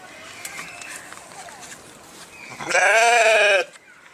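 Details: A single loud, quavering sheep bleat lasting about a second, coming after a few seconds of quiet background noise.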